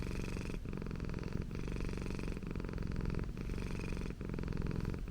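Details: Okayu, a pet Persian cat, purring in a close ASMR-style recording: a steady, low, rumbling buzz broken by short pauses for breath about every second.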